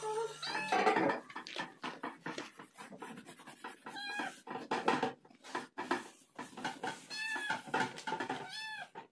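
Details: A calico cat, angry and demanding food, gives repeated meows that rise and fall in pitch, several short cries spread through the clip, with a clicking background and faint music.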